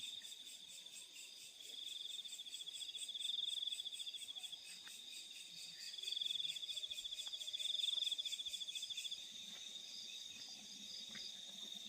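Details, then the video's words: Crickets calling at night in rice fields: a dense, continuous high trill with pulsed chirping bands above it, swelling louder around four and eight seconds, with faint ticks and low rustle beneath. "The Sound of Crickets in the Fields at Night"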